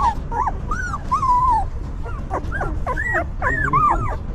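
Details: Whimpering newborn puppies cared for by their stray mother dog, giving drawn-out arched whines and short yelps, a few overlapping, against steady low background noise.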